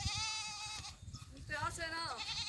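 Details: Goat among sheep grazing in fields during mating; a steady high bleat with a rich harmonic stack, then a shorter quavering bleat that wavers and falls, over soft background noise.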